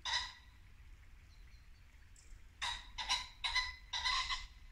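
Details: Late winter dusk in Norfolk woodland: a muntjac deer gives one bark, pauses, then a quick run of four harsh barks, with running water in the background.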